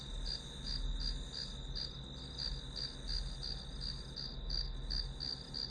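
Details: Grass insects calling as a study-session background: a steady high chirping band, pulsed about three times per second, over a constant lower drone and low rumble.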